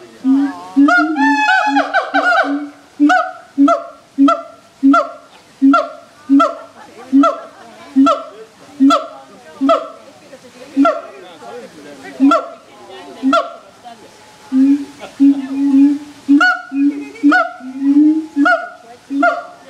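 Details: Zoo siamangs, a sound that carries across the whole zoo: a fast run of rhythmic, nasal honking barks, regularly spaced, later turning more ragged and overlapping with longer drawn notes near the end.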